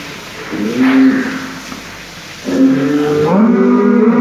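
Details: Aggressive Holstein Friesian bull giving two moos: a short one near the start, then after a pause a longer, louder lowing call that rises and wavers before ending abruptly.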